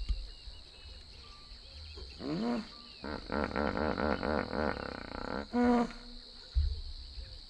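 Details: In Kruger National Park, two hippopotamuses (Hippopotamus amphibius) call to each other in a wheeze-honk call: deep, rhythmic honking grunts in a rapid pulsed series, with a steady insect drone behind.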